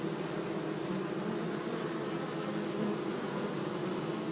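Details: Steady hum of bees among flowers in a sunny meadow, a low layered drone that swells slightly near the end, with a soft airy hiss over it.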